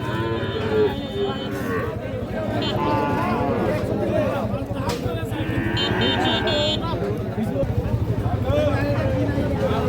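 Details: Sahiwal calves and cattle at the Ambari livestock market in Parbatipur upazila, Dinajpur; several short moos rise above a dense crowd of voices, vehicle noise and general market clamour.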